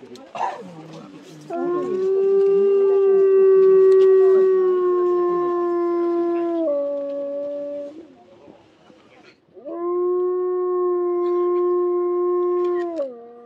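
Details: Three timber wolf siblings, two sisters and a younger brother, at a zoo in Hokkaido, Japan, give long, steady howls, each holding a low pitch before dropping at the end, just before 2 pm on a snowy winter day, 17 February 2023.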